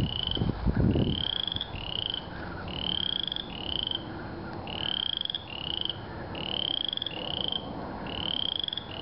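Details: The first frog of spring calls in paired, upswept piping notes that repeat steadily. After a brief low thump at the start, only faint background hum remains.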